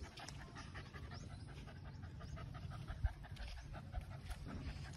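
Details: Labrador Retriever meeting new friends, including a cow, panting in fast, even, breathy pulses for several seconds, with a faint knock partway through.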